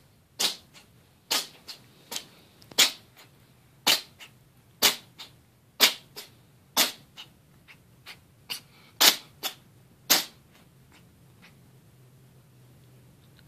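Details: Orange cat sneezing over and over while playing with his toy, sharp short bursts roughly once a second, some louder and some softer, in a quiet indoor room.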